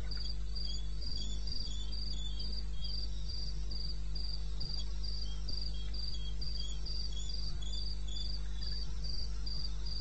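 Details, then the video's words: Wild crickets in eastern Botswana recorded at 2:30 AM in May, producing fast, steady trains of high shrill chirps layered with a second softer caller and a low constant hum. "1 Hour cricket sound-Africa-No loop-Real recording. Not edited."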